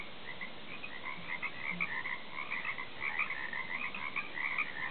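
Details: Chorus of frogs croaking off a back deck, dense overlapping rattling croaks in two bright bands, continuous with no pauses.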